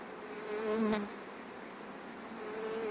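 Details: Many honey bees flying home fast ahead of rain; a continuous swarm hum with a single bee whizzing loudly past the microphone early on, its buzz bending downward.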